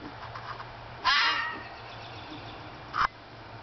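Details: Young wild red fox vixen, about a year old, crying out in spring from a front yard toward a male Siberian Husky while seeking a mate; two harsh, raspy scream bursts about two seconds apart over low background hum, with a person speaking nearby.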